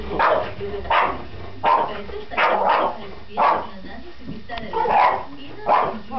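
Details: French Bulldog giving a run of short, rough, breathy barks or grunts, repeated roughly every three-quarters of a second in steady bursts, with faint background noise between them.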